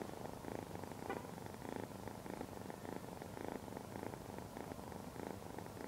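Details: Purring from Lavender, a female Ragdoll kitten of Point Lilac Bicolor colouring, 12 weeks old, on the day she is brought home. The rumble swells and fades in regular pulses about twice a second.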